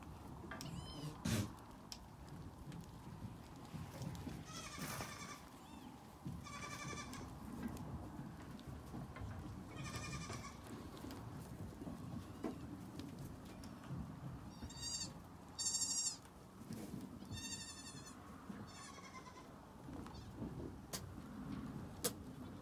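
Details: Nigerian Dwarf goat kids giving repeated high, quavering bleats, several in quick succession around the middle and later part, with tremulous stacked harmonics, over a low rumbling background with occasional knocks.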